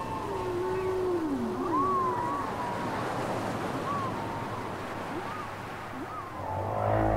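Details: Whale song from a cassette tape: a long low moan sliding downward near the bottom while higher whistled arcs curve up and down above it, overlapping with a faint hiss and low rumble.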